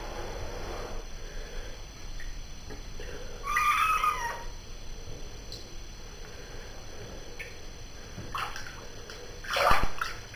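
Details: A pet cat being bathed gives a drawn-out wavering meow midway, then a short sharp cry near the end, amid splashing water and bathroom echo.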